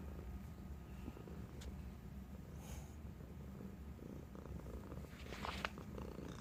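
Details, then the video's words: Bengal kitten, a playful male just over a year old rescued as a stray from a gas station, purring after a game of fetch out of love for human interaction; continuous low rumbling throb, brief rustling near the end. "Bengal Kitten Plays Fetch and Starts to Purr"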